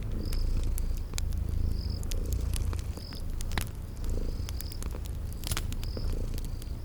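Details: Cute kitties purring as they sleep near a crackling fireplace in a spring garden, low throbbing purr rising and falling in slow pulses, punctuated by loud wood crackles and repeated high insect chirps.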